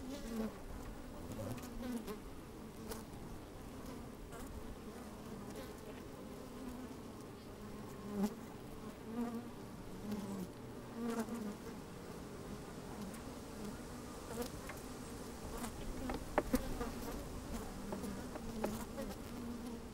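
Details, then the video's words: Hive interior on a sunny day with some wind, microphone lowered among working bees: a continuous, even mid-pitched drone with wavering overtones, sprinkled with light ticks and rustles as the bees move about. "Open Beehive - One Hour Video and Audio"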